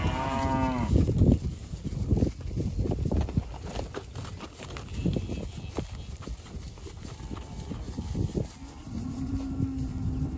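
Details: Seventeen unjoined Hereford Friesian heifers, 15 to 17 months old, at a sale in Camperdown: an opening harmonic moo, then a drawn-out, low, level moo near the end, with shuffling and clattering throughout.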